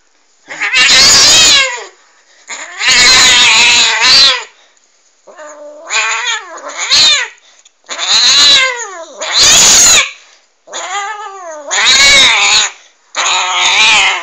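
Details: Angry domestic cat giving loud, drawn-out yowls in eight separate bursts, each wavering and harmonic-rich, some sliding downward, with short silent gaps between them indoors.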